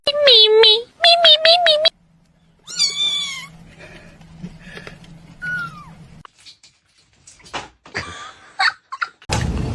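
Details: Kitten meowing indoors: two loud wavering meows at the start, another higher rising meow a moment later, then a low hum, a short falling mew and scattered clicks, with people talking.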